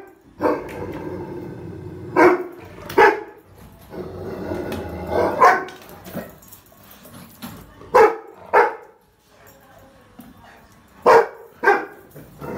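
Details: Rottweiler puppy reacting to a trolley bag, barking in loud pairs and single barks every second or two, separated by quieter, rough, growl-like sounds.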